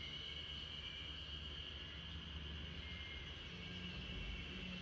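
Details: A backyard chorus of spring cicadas, lulling RunRun the Great Pyrenees to sleep, forms a continuous high-pitched hum, partly masked by a heavy low rumble like a passing train or vehicle.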